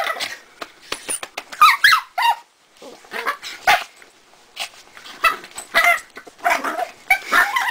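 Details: Lucy, a pet dog, making undog noises: short, sharp yips and squeaky whines in quick irregular bursts, with brief quiet gaps.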